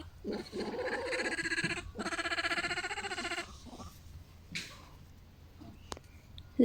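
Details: Vervet monkey at a wildlife rescue sanctuary, vocalizing toward another monkey: two loud, harsh bouts of rapid pulsed chattering, each about one and a half seconds long, followed by quieter scattered sounds and a sharp click.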